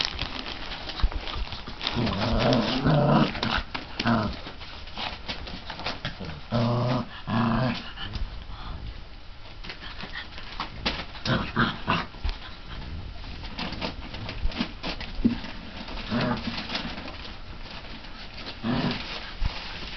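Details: Litter K of mastiff puppies at 34 days, playfully growling and yapping. Gruff, buzzy bursts cluster in the first eight seconds, followed by quieter scattered grunts. Clattering and scuffling continue throughout indoors.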